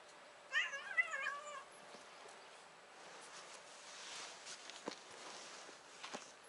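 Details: Tuxedo stray cat on a cat island, chin being stroked, lets out one drawn-out wavering meow lasting about a second, followed by soft rustling and outdoor ambience.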